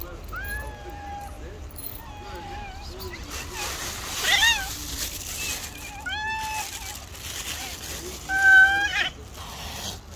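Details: Rival stray cats, a white cat and a tabby, facing off in the street before a slap; long wavering yowls and rising wails repeat throughout, with a scuffling burst near the end.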